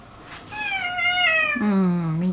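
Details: Domestic cat indoors, one of several house cats living in tension over territory: a long, steady meow followed by a lower, drawn-out moan, with a woman speaking softly before and after.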